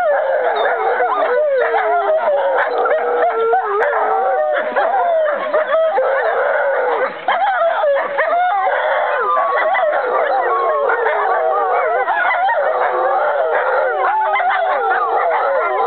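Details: Five American wolfdog siblings and half-siblings, Aiyana, Juma, Akani, Shadow and Lupo, singing together on 5 November 2011; overlapping wavering howls weave through the whole stretch, sliding up and down in a dense continuous group chorus.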